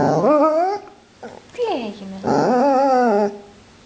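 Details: Pit bull dreaming in its sleep, giving three drawn-out, wavering, howl-like whines that swoop up then slide down, separated by short pauses, with a faint shorter whine between them; quiet indoor background.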